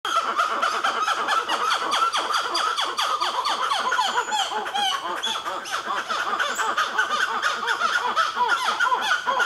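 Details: Black-fronted titi monkeys in Nazare Paulista, Brazil, with a baby among them, giving a dense, continuous chorus of loud, rapidly repeated arching calls. The calls hold steady through the whole stretch.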